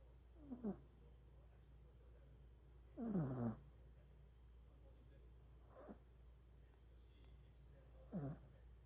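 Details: Pomeranian dog named An-chan, sleeping on top of a person and snoring: short, nasal, downward-sliding snorts about every two to three seconds, one longer and louder near the middle, with a soft steady room hum between them.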